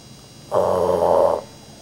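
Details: Rudy, a pet dog, snores loudly while asleep: one harsh, rasping, mid-pitched snore lasting just under a second, rising abruptly out of a quiet indoor background and stopping just as suddenly.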